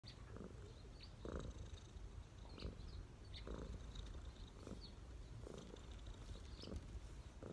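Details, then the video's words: A street cat relaxing on a person's knees purrs steadily: a low, continuous rumble swelling in regular pulses roughly every 1.3 seconds. Faint bird chirps sound in the background. "cat’s relax on my knees 🐈‍⬛| cat purring"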